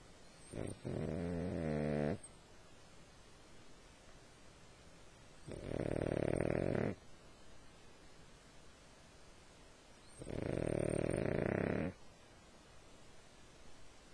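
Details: Sleeping dog snoring: three long, rasping snores, each lasting about one and a half seconds and repeating roughly every four and a half seconds, with quiet breathing between them.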